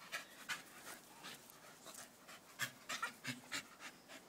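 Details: Staffordshire Bull Terriers, staffies, heard panting indoors: a run of soft, breathy broadband puffs repeating about three to four times a second, uneven in strength, with faint human voices in the background.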